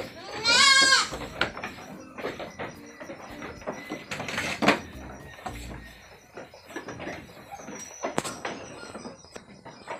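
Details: Anglo-Nubian goat at a goat farm during milking time gives one loud, wavering bleat lasting under a second near the start, followed by quieter clattering, shuffling farm noises and a few sharp knocks.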